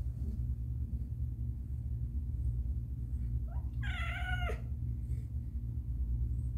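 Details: Caramel, a pet cat in labour, delivering her kittens indoors: a faint rising chirp, then one drawn-out, richly harmonic meow that holds steady and drops at the end, set against a steady low room hum.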